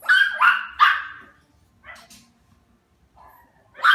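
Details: A Havanese, the small non-shedding toy breed, fires off three quick high yapping barks in a row, then a thinner yip and a soft whine, and one final bark.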